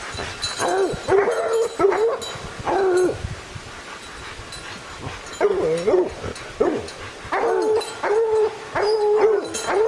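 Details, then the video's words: Young hunting hounds baying at a bear treed in the pines one evening, with an older dog along; loud, drawn-out bawling howls and yelps repeat with short gaps, overlapping voices, as a man calls encouragement. "Lillie Treed"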